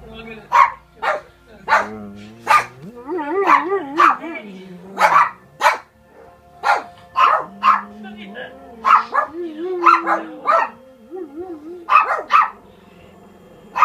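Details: German Shepherd. A German Shepherd gives drawn-out howls that waver up and down in pitch, rising and falling across several phrases. Sharp clicks, voices and music from a film play alongside the dog.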